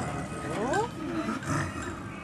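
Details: Two male snow leopards at Maruyama Zoo, a five-year-old father and his one-year-old son, trading calls across the cage on 30 August 2010; brief rising, tonal yowls with harmonics, visitors talking nearby.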